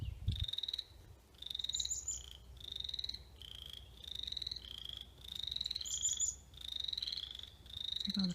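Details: Frogs calling in a backyard in May, a series of steady trilled notes, each held about half a second and repeated roughly every second, two pitches overlapping as several callers answer, with brief high bird chirps mixed in.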